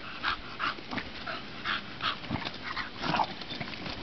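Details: Playful bulldog in sunshine, making quick nasal whimpers and yelps roughly every half second, mixed with panting, snuffling and scuffling sounds.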